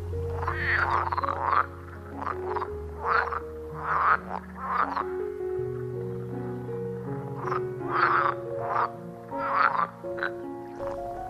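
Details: Green water frogs in the Engbertsdijksvenen peat bog croak in quick, rattling bursts, repeating over and over against soft background music.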